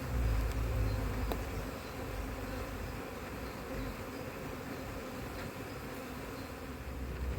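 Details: Low, continuous droning of a honey bee colony on a split being checked for a queen after failed first matings in cold 2024 weather, with a few faint clicks from handling the frames.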